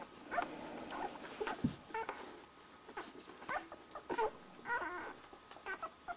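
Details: One-week-old Border Collie puppies nursing, making soft squeaky whimpers and short high yips scattered among suckling and shuffling noises.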